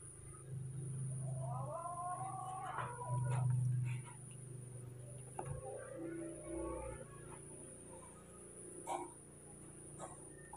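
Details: Scared, angry baby monkeys Moni and Mino react to a new cameraman with a run of short, wavering harmonic squeals early on, then softer broken cries, against a constant low hum and occasional knocks.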